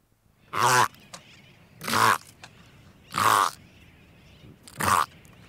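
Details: A Hawaiian monk seal pup, recorded close up, gives four short, hoarse, bleating calls, about one every second and a half, with soft breathing between them and sooty terns calling faintly in the distance.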